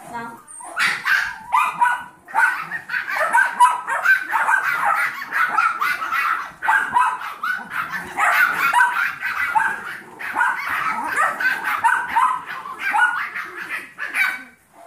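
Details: Seven-week-old Yorkshire Terrier foster puppies with their mother Maddie, playing alongside Trouble, a 15-week-old Golden Retriever mix foster puppy; dense, continuous high-pitched yips and squeaky barks overlap from several puppies throughout.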